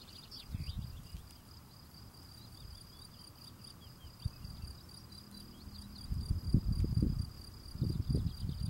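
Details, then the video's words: Singing field cricket cleaning his steps: a high, evenly pulsed chirping runs on without pause. Low scraping and rustling bursts come and go, loudest near the end, with faint bird notes behind. "Field Cricket cleaning his steps singing"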